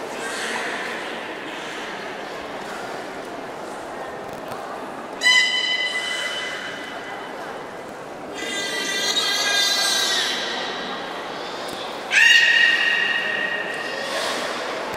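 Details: Beluga Mirai during a training session at Port of Nagoya Public Aquarium on 3 May 2018; a buzzy, harmonic-rich call lasts about two seconds mid-recording, framed by two sharp, steady tonal whistle blasts, over constant crowd chatter indoors.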